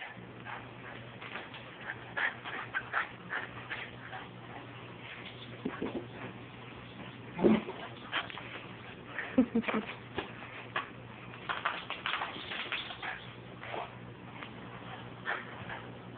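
A Miniature Schnauzer gives sharp, scattered barks and whines to get attention, with a person speaking nearby.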